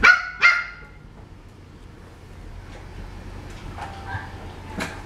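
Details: French Bulldog indoors giving two sharp, loud barks in quick succession at the start, then a quiet room with soft scattered noises and a brief whining tone near the end.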